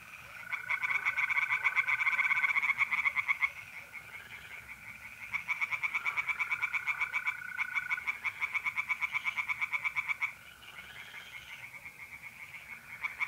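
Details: Several tree frogs calling from a pond by night, mid-April, North-East Italy, in long runs of harsh quick-fire pulses that rise and fade, while mole crickets keep up a continuous trill.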